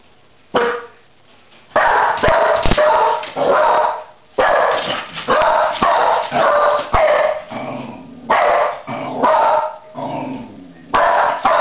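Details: Dog barking in repeated loud bursts, some single and some in quick doubles, with short silences between bouts and a few sharp clicks near the start.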